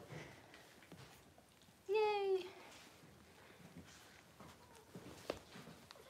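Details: Six-week-old Cavalier King Charles Spaniel puppy, kept indoors in a puppy pen, being dewormed and having its toenails trimmed; a single clear, tonal whine of about half a second wavers then falls, with soft human voices and handling noises around it.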